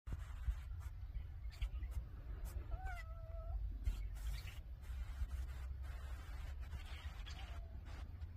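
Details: A cat in winter beside a crackling wood fire gives one short, slightly falling meow about three seconds in, set against steady low rumble and scattered sharp crackles and pops from the burning logs.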